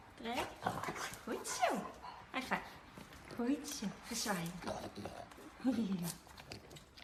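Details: French Bulldog puppies giving short, bending whimpers and yelps that rise and fall in pitch, several in a row over seven seconds, mixed with people talking over them in a small indoor room.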